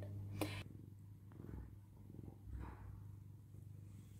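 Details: Domestic cat indoors, greeted after rubbing against a hand to ask for petting, purrs in a low steady rumbling drone throughout, with a short high sound near the start and soft rustling.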